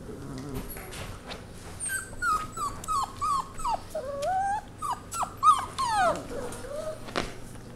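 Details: Settling into their foster home with HART, five Lab mix pups let out short, repeated downward-bending whimpers and yips, roughly two per second, plus a few clicks and knocks, a low hum beneath.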